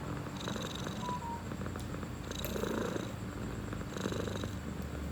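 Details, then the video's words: Domestic cat purring steadily indoors, a low continuous rumbling pulse that keeps an even rhythm throughout, with faint higher rustles and light handling noises in the background. "1 Minute of Cat Purring"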